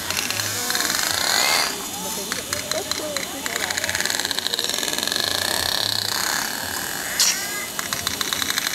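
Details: Pacific white-sided dolphins give rapid buzzing trains of echolocation clicks, a sonar they send into the water column to picture their underwater world from the echoes, with a few high whistles between them.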